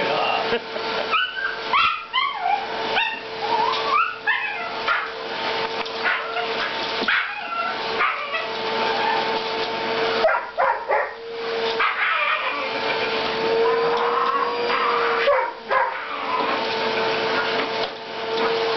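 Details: Welsh Terrier indoors, going wild over the floor attachment of a running vacuum cleaner: rapid high yips and barks with whining, bursts clustered early then scattered, over a constant steady motor drone.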